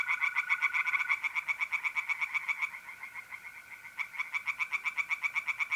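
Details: Tree frogs singing in a pond on an April night in north-east Italy: fast, evenly pulsed croaking notes, several per second, throughout. A steady, high trill of mole crickets runs beneath at the start.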